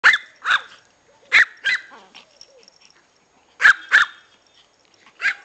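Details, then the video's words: Two six-week-old Pomeranian puppies wanting to play; sharp, high yappy barks in pairs, each pair a short double yip, with quiet gaps and faint whimpers between. "We also want to play"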